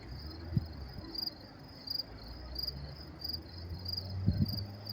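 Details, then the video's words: Crickets at night in New York City on May 28, 2024, giving high pulsed chirps roughly every two-thirds of a second beneath louder low-pitched rumble and a couple of sharp knocks. "sound of crickets chirping"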